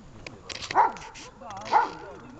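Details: Dog Besser being rewarded after a search exercise gives two loud, abrupt barks about a second apart, with a person speaking between and around them.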